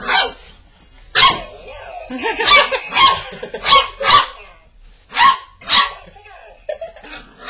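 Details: Five-and-a-half-week-old Labrador Retriever puppies at play with a new Boinky ball toy give sharp, high yipping barks in irregular bursts, roughly one per second, with short gaps of quiet scuffling between them.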